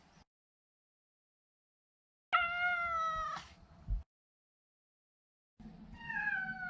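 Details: A neutered male Maine Coon named Maro gives a long, steady, tonal meow of over a second, then after a pause a softer, wavering meow over a low rumbling background.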